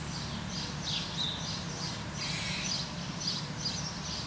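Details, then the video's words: Rapid harsh barks from a squirrel, short raspy bursts coming several per second in an almost continuous run, with low background rumble beneath. "Squirrel Bark"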